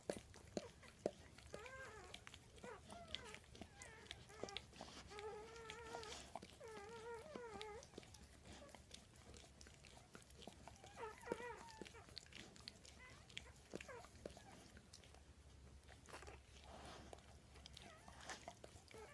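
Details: Newborn Weimaraner puppies from a litter of seven (four males, three females), some less than an hour old, give thin, wavering squeaks and whimpers in short bursts.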